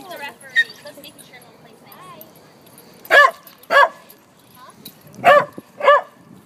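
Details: Red Doberman puppy named Monkey during play fighting at Toronto's High Park dog park, giving two pairs of loud, short barks, each pair spaced about half a second apart, with quieter whines and human voices between them.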